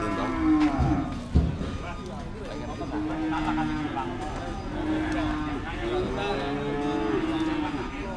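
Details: Cattle at the Dimoro cattle market in Blitar during tough price haggling before weighing; long low mooing calls with harmonics sustain across the second half, overlapping men talking and market chatter.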